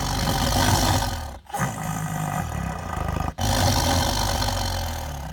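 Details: Siberian tiger growling while it eats: a low, throbbing rumble held for over a second, a short break, a softer grumbling stretch, then another pause before the deep growl resumes.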